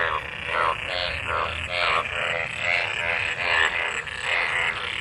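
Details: A gathering of frogs calling in water left by monsoon rain during mating: rapid, rattling croaks about once a second, layered with other callers into a constant buzzing chorus.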